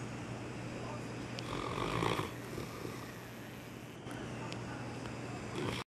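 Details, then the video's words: Sleeping dog snoring: one broad, rasping breath swells to a peak near the middle and fades, followed by quieter breathing against a steady low electrical hum and faint clicks. "Dog Snoring"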